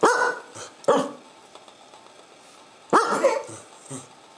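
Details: Pet Corgi vocalizing in a way that sounds like 'neuf', French for nine: short, harmonic, yowling barks in three bursts, the first two close together and a longer one near the end, with a person saying 'no' between them.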